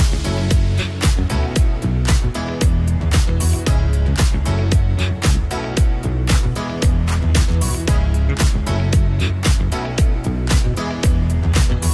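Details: Upbeat funk-disco dance music with a steady thumping beat plays throughout, with no animal sounds. Strong bass and regular percussive hits fill the recording from start to finish.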